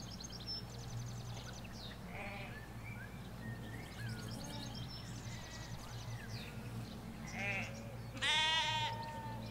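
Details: Sheep, ewes with their lambs, in a Hampshire countryside field, captured on a stereo M5s beside a hedge: a loud, harmonic, wavering bleat near the end, set against continuous birdsong chirps and a low steady rumble of distant road.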